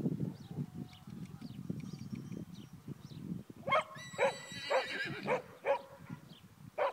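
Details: Young horse, 10 months old, Pura Raza Española by Thoroughbred cross, in its first lunging session. Hooves thud on the ground, then a sudden high, quavering neigh breaks out and fades into several short pulsed calls spaced about half a second apart.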